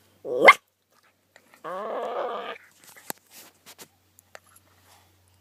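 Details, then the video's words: Dogs Riley and Oscar making weird noises indoors in the morning: a sharp rising yelp, then a wavering, harmonic whine-growl lasting about a second, followed by soft clicks, taps and rustling. "Riley & Oscar Make Weird Noises"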